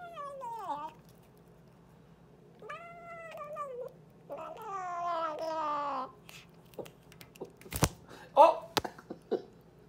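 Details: A pet cat talking: several drawn-out meows of varying pitch, one dropping sharply, one wavering, followed by softer chirps mixed with clicks and knocks from handling.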